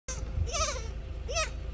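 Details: Female pygmy goat (Capra hircus) in Brasstown, North Carolina, USA, May 2021, gives two loud, wavering bleats while chasing her owner down the driveway. The bleats are separation distress as her person leaves home; the owner describes her as having major separation anxiety.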